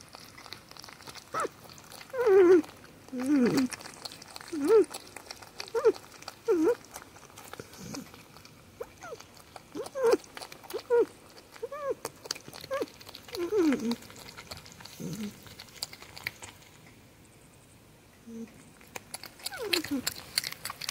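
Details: Happy sounds from pet porcupines Spike and Chonkers at Halloween feeding time, Spike vocalising while eating; a long run of nasal, wavering squeaks and whines, many bending up then down, some in quick pairs, mixed with chewing and a brief human voice.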